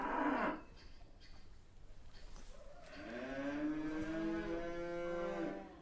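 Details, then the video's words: A cow gives a drawn-out moo of about two and a half seconds. The rich, tonal call swells slightly and then holds steady, following a brief loud noise, with quiet background hiss. "suara sapi"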